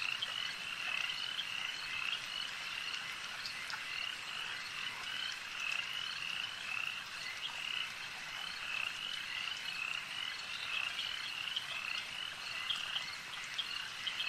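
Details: Many frogs croaking together by a lake, producing a continuous pulsing high trill that rises and falls gently in strength, dotted with short sharp calls, nothing else clearly audible.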